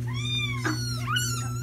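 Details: Feral kitten in a socialization room, one of a loud litter screaming in the morning: a long, high, rising cry, a short break, then a second bending, wavering cry, over a constant low hum.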